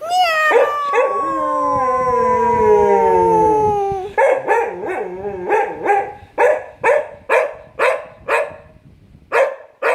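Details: An annoyed cocker spaniel, reacting to its owner making cat sounds, gives a long, wavering, falling howl, then a quick series of sharp yipping barks.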